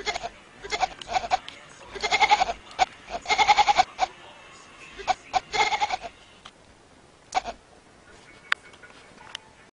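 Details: Goat-like bleating from a cat that sounds like a baby goat. Quavering cries come in quick bursts over the first six seconds, broken by sharp clicks. Quieter sporadic taps follow.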